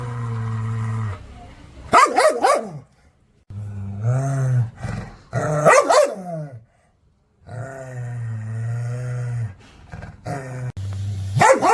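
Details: An angry dog barks toward the camera, alternating deep steady growls with sudden loud clusters of rough barks. A wavering snarl rises mid-way, and the clip ends on another bark burst.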